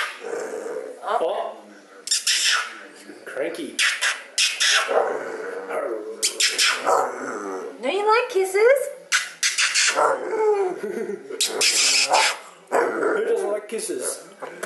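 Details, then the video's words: Buddy, a pet dog at home going crazy in his bed, gives broken bursts of barks, growls and whining yelps, mixed with a man talking to him throughout indoors. "Buddy at home going crazy in his bed"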